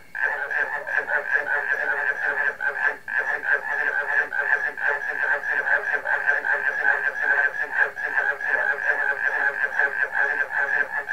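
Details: Many frogs calling together with barking crickets, forming a thick, continuous wall of fast repeated croaks and a constant high ringing tone, pulsing roughly two to three times per second with hardly any pause.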